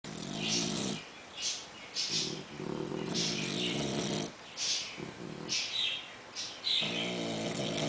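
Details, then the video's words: English bulldog snoring together with a French bulldog in a contest for the loudest and longest snoring; rough, rasping snores in repeated breaths roughly every second, overlapping between the two sleeping dogs. "English bulldog snoring together with french bulldog"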